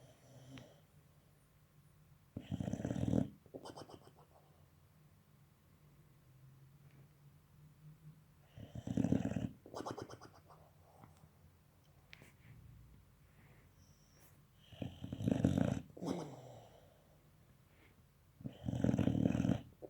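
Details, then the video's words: German Boxer puppy asleep, puffing its cheeks and snoring: loud, low, rasping snorts come in bursts about every six seconds, with quieter wheezy breathing between them. "Щенок немецкого боксера спит - храпит, надувает щеки"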